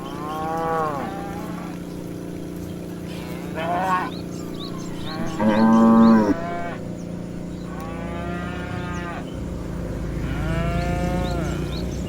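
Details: Cows driven as a herd of dozens through a meadow, a series of moos every two seconds or so, one louder deep bellow midway, with faint chirps in the background.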